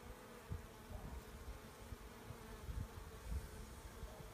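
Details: Honey bee swarm being collected, a steady low droning hum of many bees with soft thumps of handling and faint background rustle.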